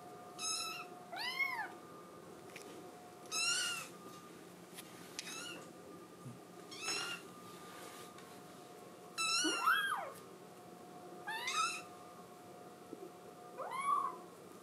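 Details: Scottish Fold kitten, indoors, crying because it badly wants to go outside; about eight short, arched meows scattered over fifteen seconds, fairly soft, with a steady electrical hum beneath.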